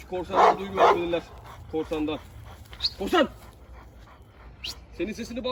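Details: Ejder, an Anatolian Shepherd Dog in Turkey, goading fellow dog Ulaş: two loud, heavy barks open, followed by men talking and a few softer vocal sounds.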